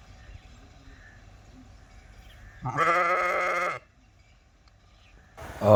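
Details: Sheep giving one loud, steady, nasal bleat lasting about a second over a low background rumble, followed by a sudden loud noise at the end.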